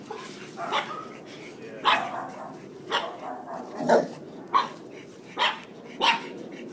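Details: Pugs greeting an unfamiliar dog give a string of brief, bright barks roughly every half second to second, with low murmuring in the background.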